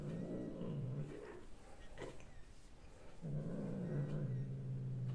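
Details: Domestic cat recorded on 6 March 2024, giving a low, rough, droning growl that holds for about a second and a half, fades, then resumes steadily from about three seconds to the end, with faint background noise.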